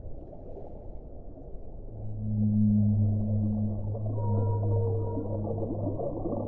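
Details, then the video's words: Whale sounds from an hour-long relaxing recording: after two quiet seconds a loud, deep humming moan begins with a strong harmonic above it. A higher, thinner whistle-like tone joins halfway through over a constant noisy background. "1 ora di suono delle balene"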